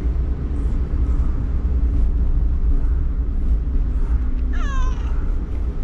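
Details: Hana, a community cat with cat flu causing rhinitis, riding by car in a carrier to the vet for the first time, nervous and startled; one drawn-out, falling, strongly harmonic meow near the end over steady loud engine rumble.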